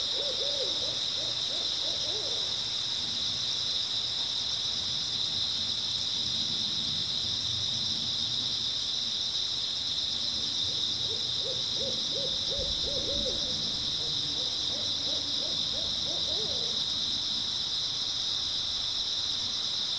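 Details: Grass insects chirping through an early autumn night in a constant high, steady wash of sound, while bursts of low, quick repeated hooting notes come and go at the start and in the middle.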